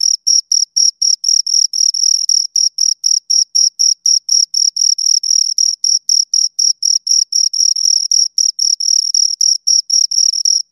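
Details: Steady chirping from two crickets, a piercing high-pitched rasp broken into quick regular bursts, roughly four per second, continuing unbroken for the whole stretch with no other sounds.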